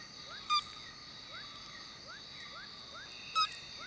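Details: A frog calling at nightfall in the Borneo jungle from a tree hole, shifting its pitch until the hollow resonates. Short rising notes repeat about every half second beneath a steady high insect drone, with two brief louder chirps.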